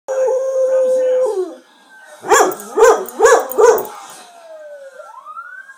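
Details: Pet dog howling along with TV police sirens; a long steady howl, then a burst of four rhythmic barking yelps, with a siren wail sliding underneath.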